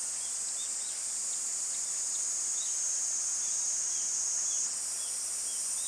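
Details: Summer cicada chorus, a steady piercing high-pitched buzz that holds without pause and shifts slightly in tone near the end, while soft brief bird chirps sound repeatedly in the background.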